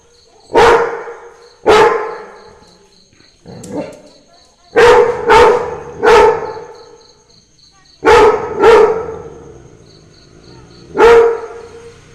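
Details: Pet Labrador Retriever barking at the sound of Christmas carols: about nine forceful, clipped barks, some paired in quick doubles, one softer, with a faint continuous high chiming tone in the background.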